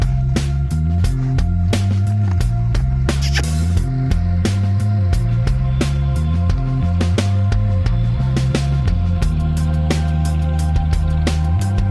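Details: Loud drum-driven music with a heavy bass line plays without pause from beginning to end.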